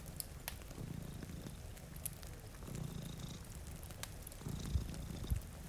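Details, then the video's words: Two cats sleeping in front of a rainy window purr with a low, rumbling throb, broken by sharp crackles from a fireplace and a steady patter of rain. "Purring Cat"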